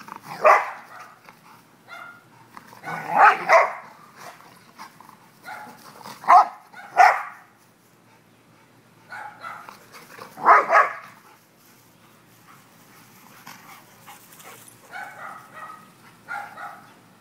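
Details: Two dogs, Leroy and Oscar, having fun: a run of repeated barks and growly yaps in irregular bursts, some loud and broad, trailing into softer whines toward the end.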